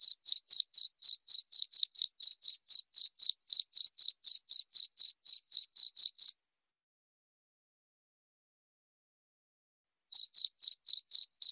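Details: Cricket chirping in clear, evenly spaced high pulses, about four per second, for six seconds. A silent gap of roughly four seconds follows before the chirps resume. No other sounds.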